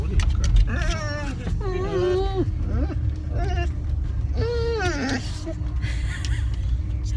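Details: Ellie, a female dog, arriving at the dog park and eager to play with other dogs, gives a run of drawn-out, wavering whining cries that bend up and down, heard inside a car over engine rumble while a person talks to her.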